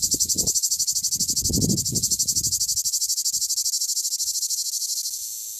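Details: A male cicada in southern France sings a loud, hissing buzz, rapidly pulsed and steady, with some low rumbling early on.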